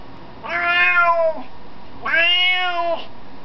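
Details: A new indoor cat that wants to go outside gives two loud, long, harmonic meows about a second apart, the second slightly longer and steadier, in a quiet room.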